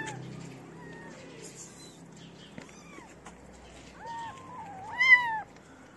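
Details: Abandoned street kittens crowd around someone feeding feral cats in the cold; sparse rising-falling meows, one louder drawn-out mew near the end, over quiet background hiss.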